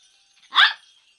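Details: A naughty dog gives one short, sharp bark, loud and broadband, standing out against near silence.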